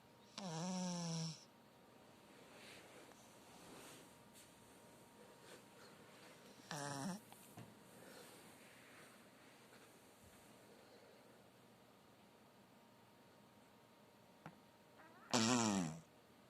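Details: Sleeping Chihuahua Zefir, a ten-year-old pet dog, snores at home; three buzzy, rattling inhalations with a wavering tonal whine, spaced several seconds apart over a low steady room hum.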